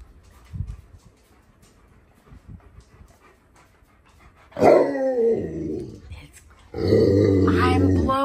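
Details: Tonka the Alaskan Malamute protests indoors, impatient for hot breakfast food that must cool. After quiet shuffling comes a grumbling, harmonic moan, then a louder sustained wavering vocal complaint.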